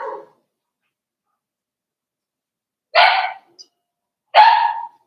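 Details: A five-week-old Cavalier King Charles Spaniel puppy indoors gives a short whine, then after a pause two loud coarse barks about a second and a half apart.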